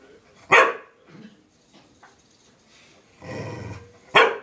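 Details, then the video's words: Frustrated house dog that wants to go outside but is kept in, giving two sharp, explosive barks roughly three and a half seconds apart, with softer grumbling and a rough breathy sound between them. "Angry Dog"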